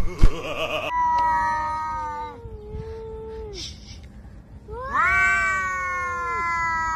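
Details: Domestic cat meowing in a short funny home moment: a long, falling, drawn-out meow, then after a pause a rising meow that holds steady and fades, with faint background sounds between calls.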